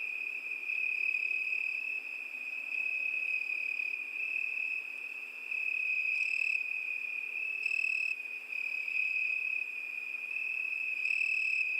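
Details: Cricket singing a steady, high, unbroken trill that holds one shrill pitch throughout, with faint higher overtones briefly brightening a few times; no other animals or voices.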